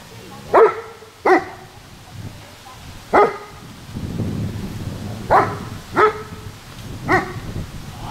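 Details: German Shepherd dog giving a series of seven sharp, rough barks at irregular intervals over eight seconds, with a rumbling low noise in the middle of the run.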